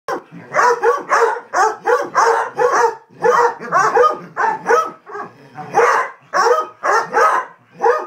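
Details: A pack of Basset Hounds barks almost nonstop during a playful chase, ganging up on one that rolled in something disgusting. Their short, throaty woofs tumble over one another in uneven bursts, deep and rough, sometimes stretching into a brief bay.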